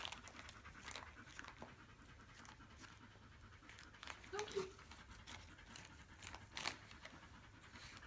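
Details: A 3-month-old male Siberian Husky puppy, a puppy-mill rescue, pants steadily and gives a brief low grumble as he invites an older black Labrador to play fight.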